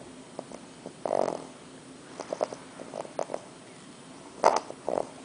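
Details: English bulldog puppy Arthur, asleep on his first night in NYC after travelling from Kansas, gives uneven snorts and rasping snores, with one loud burst near the start and another near the end.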